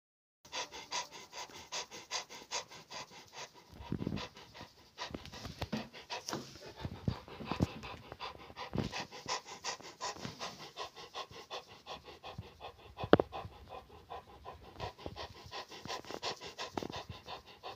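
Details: Rottweiler breathing heavily: fast, rhythmic panting puffs run through most of the stretch, broken by a few louder huffs and thumps around the middle.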